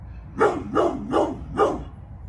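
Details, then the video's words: Pit Bull named Bullet, nearly 11 years old, protecting the yard: four loud, harsh barks in quick succession, spaced about 0.4 seconds apart, with steady low background hum. "PITBULL BARKING !!!"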